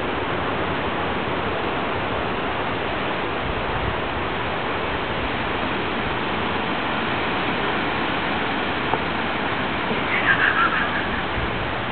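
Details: Steady, loud broadband rushing noise like rain or running water fills the whole stretch, with a brief faint tonal blip near the end and no animal voice.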